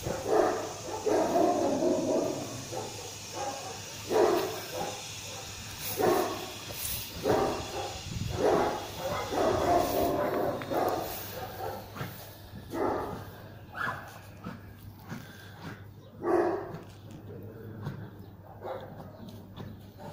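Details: German Shepherd in a guard test facing provocation, barking in a dense irregular series of rough barks, fading and sparser toward the end, with low hum and some voices.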